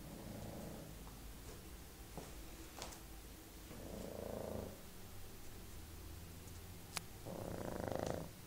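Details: Pug asleep on a bed, snoring: three rumbling, finely pulsed breaths spaced several seconds apart, with faint clicks and rustles between them indoors.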